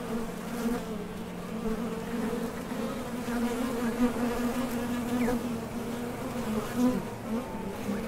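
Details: Many honey bees buzz together in a steady, low droning hum with rich overtones, recorded at the entrance of a top bar hive as foragers leave and land while going for nectar.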